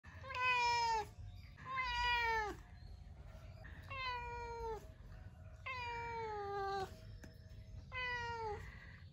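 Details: A pet cat follows its owner, asking for breakfast with drawn-out, slightly falling meows, about one every two seconds.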